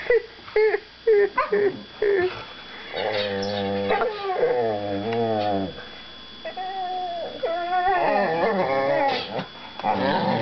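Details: Mojo and Finnegan, two young whippets, grumble at each other while mouth wrestling: clipped yelps first, then drawn-out, warbling growl-moans that swell and sag in pitch, broken by short gaps and a few higher whines.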